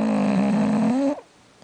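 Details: Jack the bulldog snoring through yet another mid-morning nap indoors: one buzzy, harmonic drawn-out snore that rises slightly in pitch toward its end, then cuts off abruptly after about a second, leaving near silence.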